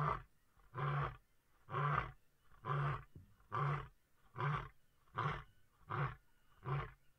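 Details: A Busanga lion calling, said to mark territory or keep in touch with its pride: a run of nine deep, even grunts, roughly one every 0.8 seconds, steady in loudness.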